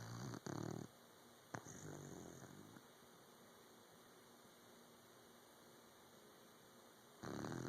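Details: Puppy asleep, giving short rough snorts at the start, a quick sniff, a long quiet pause, then a fresh raspy snore rising at the close.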